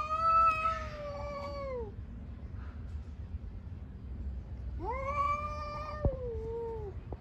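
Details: Cats fighting on the street: two long drawn-out yowls, each about two seconds, wavering and falling in pitch at the end, separated by a quiet gap, over low street rumble.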